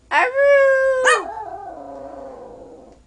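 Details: Singing on request, Nanook the 12-year-old, 5-pound Yorkshire Terrier gives a short yelp-like onset, a steady howled note, then a second rising yip trailing into a long, wavering, fading moan.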